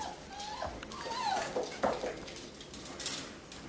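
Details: Labrador Retriever puppies from a B litter at play, calmly romping and messing about, give drawn-out whines that waver up and down, with a couple of brief yips over soft scuffling sounds.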